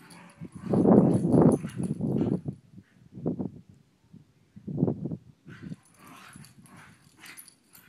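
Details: Two related pet dogs interacting to see whether they get along ahead of a sleep-over: a loud run of low, rumbling growl-like bursts at the start, then shorter separated grunts, fading into quieter rustling.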